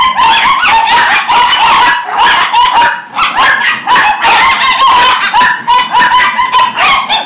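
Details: Several dachshunds, six in all, frantically barking and yipping at a punch balloon; sharp, high-pitched barks overlap continuously in an excited, chaotic chorus.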